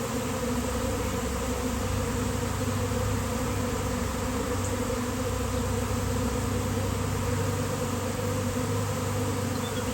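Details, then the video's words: Swarm of honeybees outdoors on a day of nice weather, landing on a basketball hoop: a dense, continuous droning hum with steady low tones and even loudness throughout, no breaks or other clear sounds. "Giant Bee Swarm came out of nowhere!"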